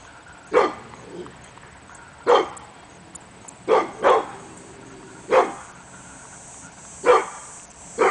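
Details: Morning barking by Hemi Bleu, a pit bull, at nothing in August 2012; sharp single barks, one close pair, repeated roughly every one to two seconds against a steady faint hum.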